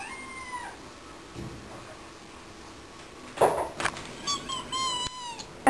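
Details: Talkative house cat answering its owner indoors: two separate meows a few seconds apart, each with a bending tone, mixed with a person speaking softly and some handling noise.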